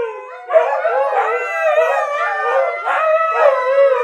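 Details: Kiska and fellow dogs howl in chorus, a quiet opening then full, quavering voices joining in overlapping waves, pitches drifting up and down in repeated swells about every second.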